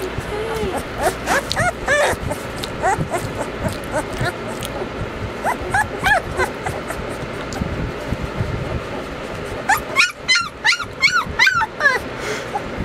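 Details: Young Weimaraners Bailey, Hailey and Jenny in summer, giving repeated short high yips and whines throughout, with a loud burst of sharp rapid yelps toward the end over constant background noise.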